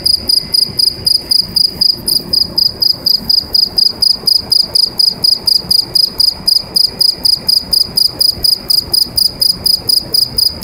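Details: A cricket sings inside a pipe: shrill, metallic chirps repeated steadily at a quick even rhythm, several each second, resonating loudly with no other sounds.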